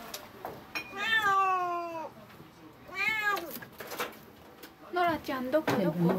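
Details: Domestic cat loudly vocalising at a stray cat outside its home: three long, strained meows about two seconds apart, bending up then down in pitch, the last breaking into a rougher cry, with a person talking softly nearby.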